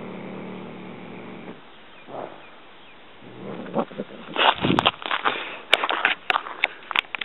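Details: Pet cat Poo snarling savagely after catching a mouse as someone approaches: a low, steady growl for over a second, a shorter growl again a couple of seconds later, then a run of sharp clicks and knocks.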